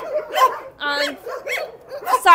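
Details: Dogs at a rescue shelter, kept in cages: brief muffled barks, a clear tonal whine in the middle, and a sharp high yelp at the close.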